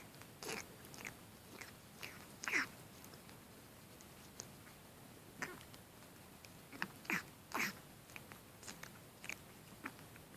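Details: Kitten in water making pig-like snorting noises: short, breathy, noisy snorts at irregular intervals, several clustered bursts over ten seconds, quiet indoor setting with faint background hiss.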